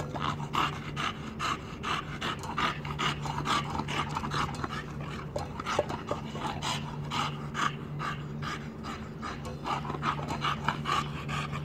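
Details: Borys, a brave bulldog, panting heavily in quick rhythmic breaths about twice a second, each breath a harsh airy rasp, over a steady low hum.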